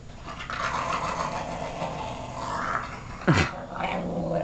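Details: Pet puggle growling crankily when its paws are touched; a continuous low rumbling growl with a brief sharp sound near the end.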